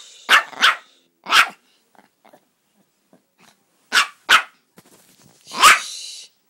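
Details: Yorkshire Terrier, a male pet, barking indoors while being hushed: sharp, broadband barks in a pair, a single, another pair, then one longer harsh bark with a hissing tail, separated by short quiet gaps.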